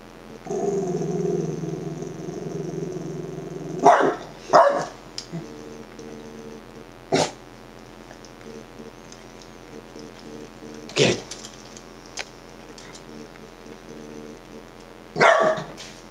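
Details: Dachshund barking at himself: a low, rumbling growl for about three seconds, then scattered sharp single and double barks every few seconds, with a quiet hum behind.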